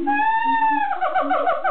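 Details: At Amersfoort Zoo, Netherlands, a siamang gives a long steady wailing note that then breaks into a quick wavering series of rising and falling yelps.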